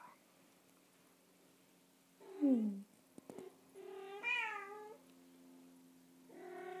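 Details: Bengal kitten in a lap getting pats: a short falling mew, a couple of clicks, then a longer wavering meow that rises and falls, and another meow starting at the end, with a low constant hum beneath.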